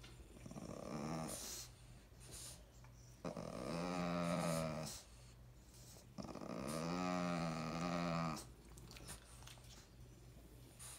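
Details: A moody French Bulldog female in heat, leader of her pack, grumbles indoors while arguing with a fellow Frenchie and a German Shepherd. Two long, wavering growls of about two seconds each, separated by quiet pauses and faint snorts.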